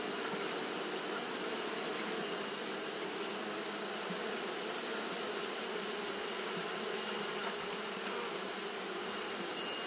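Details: Japanese honey bees fanning continuously on a hot day: a steady, dense hum from many wings with low droning bands and an even, unbroken high hiss above, with no pauses over the whole stretch.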